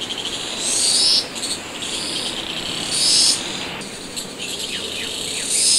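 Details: Yellow-spotted black cicada, a 34 mm species of China, Myanmar, Sri Lanka and India. A shrill, high buzzing song swells and fades in waves about every two seconds, over a constant hissing drone.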